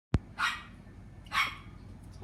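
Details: A sick, noisy pet dog gives two short, bright barks about one second apart, after a sharp click at the start, with quiet room background.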